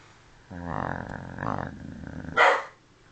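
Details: Snoring dog: a loud, rough, droning snore lasting nearly two seconds, with a steady low buzzy tone, ending in a short breathy snort. The room is otherwise quiet.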